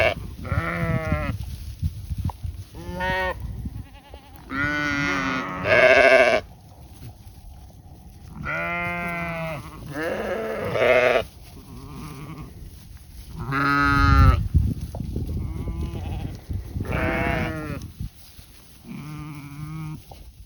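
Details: Goats on an autumn pasture shared with sheep bleat repeatedly, wavering nasal calls rising and falling, spaced a few seconds apart.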